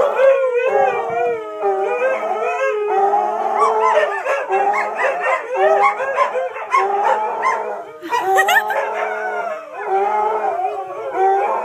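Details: Multiple domestic dogs freaking out and howling at sirens heard in the wind: dense overlapping sustained howls with sliding pitch, punctuated by brief yips and a sharp bark-like burst near the end.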